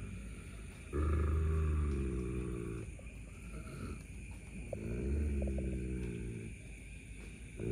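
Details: German Shepherd dogs squabble over a buffalo horn, one guarding its find from the other. A sustained low growl near the start and another later, with quieter rumbling and shuffling in between.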